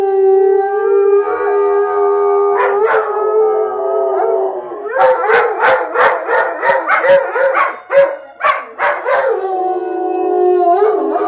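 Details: Two German Shepherds howl together like crazy in long, steady, mid-pitched tones broken by a run of quick yips.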